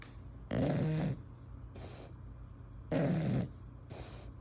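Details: Sleeping female English Bulldog with her tongue hanging out snores indoors: two loud, rattling, low snorts about two and a half seconds apart, each separated by a softer, breathy exhale.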